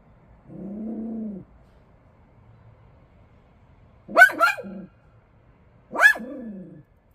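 A Bichon Frise gives a low, drawn-out whine, then two sharp, bright barks a couple of seconds apart.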